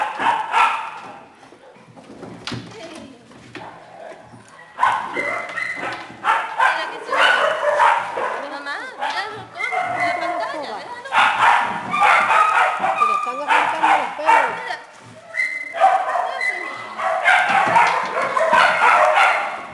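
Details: Small dogs and puppies in a shelter kennel setting up a dense, overlapping chorus of sharp yips and barks, with a quieter lull of a few seconds before the racket resumes and keeps going.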